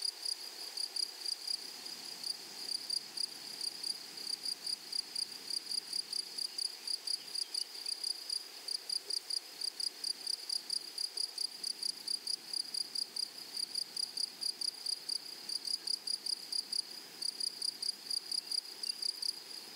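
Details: Grasshoppers in a flowery meadow or prairie: a steady run of short, sharp, high-pitched chirps, about three to four each second with a fainter higher overtone, continuing evenly for the whole stretch over a soft, quiet background hiss.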